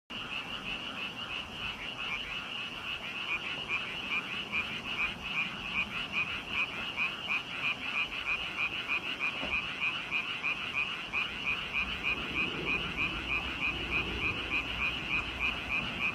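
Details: Frogs croaking in a dense chorus, a rapid train of rasping pulses repeated about three times a second, steady throughout with many overlapping callers.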